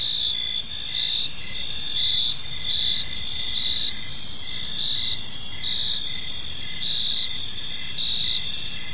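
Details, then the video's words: Crickets in a park on an evening, a dense steady high chorus with pulsed chirps repeating roughly twice a second over continuous shrill trilling, against low rumbling background noise. "Cricket Sounds in a Peaceful Park"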